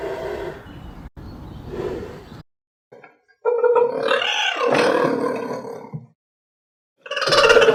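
A cheetah gives rough, breathy calls with a strained, wavering tone that bends up and down.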